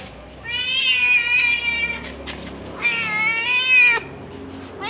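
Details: Cimoi, a domestic cat, during the birth of her kittens: two long drawn-out meows, strained and high, about two seconds apart, with faint background hum.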